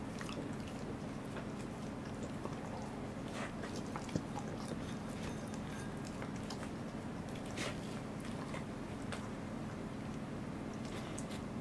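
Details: A Welsh Corgi named Goro chews a fish, recorded 2 August 2014. Soft, irregular biting clicks and moist smacking sounds repeat every fraction of a second against a quiet indoor background.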